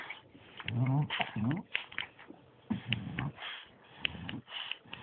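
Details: Playful bulldog and Staff, Bruise and Winston, in a house; loud nasal grunting whines and snuffling bursts come about once a second amid rustling.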